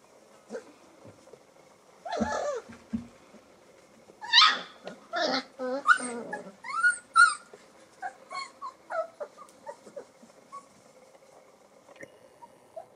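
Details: Alaskan Malamute puppies from a 2024 litter, exploring for the first time on day 24: a scattered run of short, high whimpers and yips, some rising squeals, bunched in the middle and thinning out toward the end, with faint talk in the background.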